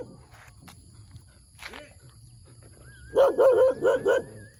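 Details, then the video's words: Puppy barking in the morning: after quiet with a few faint sounds, four loud, sharp, closely spaced barks burst out over about a second, each with a rising-then-falling pitch. "เสียงหมาเห่า หมาน้อยน่ารักเห่า ตอนเช้าๆ"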